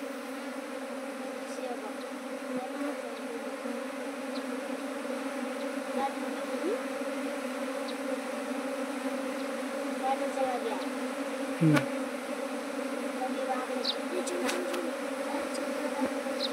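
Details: Honey bees kept by a beekeeper whose apiary grew from one hive to nineteen in two months; a steady, low droning hum from many bees, continuous throughout, with a brief knock near the end and faint speech.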